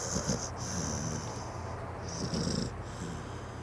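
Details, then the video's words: Pit bull snoring loudly; low rumbling snores swell and fade in slow breaths over a steady high hiss and hum indoors. "The Snoring Pitbull"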